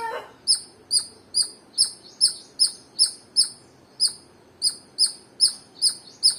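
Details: High-pitched squirrel chirps, around fourteen brisk, piercing chip notes spaced about half a second apart, with one short pause midway and a brief thump at the start.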